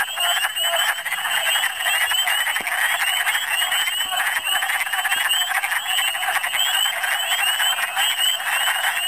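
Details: Spring gathering of wood frogs in Michigan, heard as a crowded, unbroken din of clucking croaks mixed with a continuous band of higher chirping notes and a few faint clicks.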